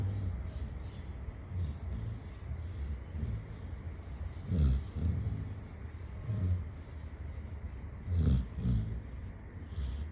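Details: Pet Labrador Retriever Chitti, sleeping, gives soft breaths then two loud rasping double snores a few seconds apart, deep and throaty, with a low constant hum underneath.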